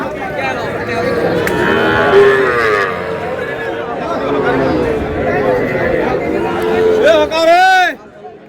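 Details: Sahiwal calves at a busy cattle market in Noakhali, Bangladesh: a moo rising in pitch near the end stands out over steady crowd chatter and talking, with fainter lowing earlier.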